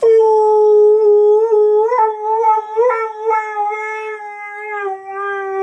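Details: A male pet husky howls while his favourite song is played to him, seeming confused: one long, sustained, tonal howl with a rich overtone series, wavering gently and breaking into small rises and dips before settling steady again; no other sounds.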